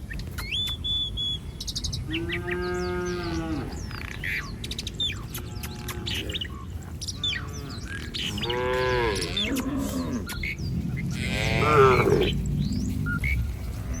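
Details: Village cattle from a herd roaming the street mooing in several long, deep, harmonic-rich lows with short pauses between them, small birds chirping and twittering in the background.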